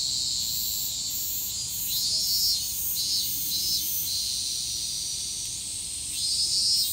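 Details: In Japan an evening cicada pulses out shrill, rhythmic buzzes in rapid trains, rising in loudness toward the end, layered over a continuous high-pitched insect hiss.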